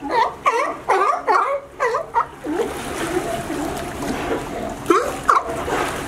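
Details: In California, sea lions that climb a fence to a sunny dock give a quick run of harsh, dipping barks, then splashing water takes over, with two more barks near the end.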